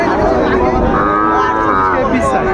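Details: Sahiwal breed bull calf at a Kushtia market, Bangladesh, 2 August 2024: one sustained, slightly rising moo with rich layered tone, set against busy haggling voices of buyers and sellers.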